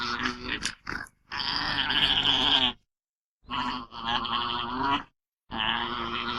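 An alpaca gives wavering, nasal, high-pitched calls in bursts of one to two seconds.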